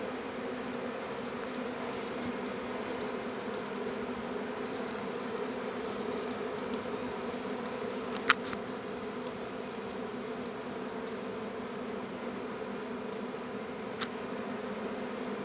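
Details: Honey bee swarm in Tasmania, arriving a week earlier than usual in its yearly appearance, near bee boxes set out by a beekeeper; a thick continuous drone of countless bees, broken only by a couple of sharp clicks.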